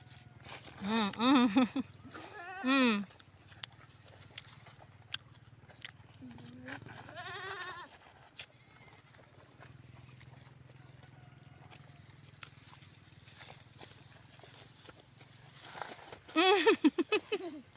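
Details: Goats herded along a river, giving loud, wavering, quavering bleats: a pair of bleats near the start, then a long quiet stretch with faint voices and small knocks, and a burst of bleating at the end.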